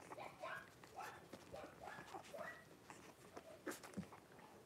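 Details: Blenheim Cavalier King Charles Spaniel puppies, a litter of five about four weeks old, in an indoor puppy pen with their mother Paris, January 26, 2023; thin, high squeaks and whimpers bend upward in a quick irregular series, with soft shuffling.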